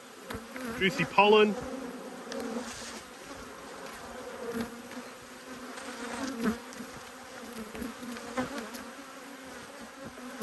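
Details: Angry honey bees, two hives being inspected in March 2022, hum in a continuous low buzz with a higher overtone. The drone rises and dips slightly, and brief human speech is heard around the first second.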